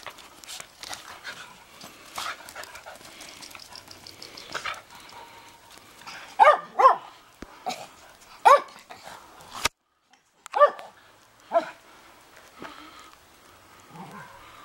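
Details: Pack of Shetland Sheepdogs out in a late April snowfall, giving short, sharp barks at irregular intervals over quieter panting and shuffling.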